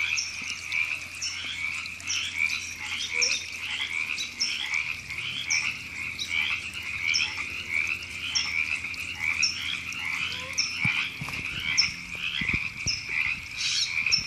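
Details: Chorus of frogs in Temescal Canyon Park, Los Angeles, California, in April 2017: many overlapping raspy croaks form a continuous buzzing bed, topped by short sharp chirps repeating roughly every half second to second, with faint low knocks near the end.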